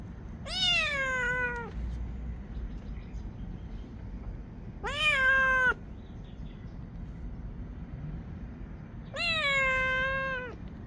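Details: Loud kitten on a roof meowing, as if asking for treats: three drawn-out, harmonically rich meows, each about a second long, dipping then levelling, spaced roughly four seconds apart over a low outdoor rumble.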